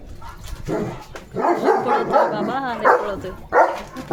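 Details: Leo, a pet German Shepherd in India, running about in a hyper, playful mood, gives a burst of barks blending into wavering whine-like yelps, then one final bark, with faint background noise.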